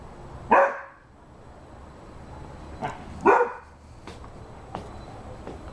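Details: Rhodesian Ridgeback barking: two loud, deep barks about three seconds apart, with fainter clicks and knocks between them against low background noise.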